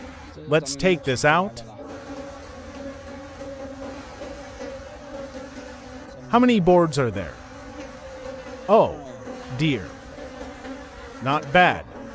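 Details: Wild bees in a deep forest during the late-season honey harvest: a steady droning hum with bursts of louder, swooping buzzes as bees pass close, near 1, 6.5, 9 and 11.5 seconds.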